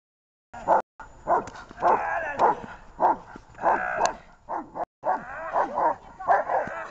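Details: Two dogs during outdoor training, giving a string of short, sharp yelping barks about once or twice a second, with a woman's voice in the background.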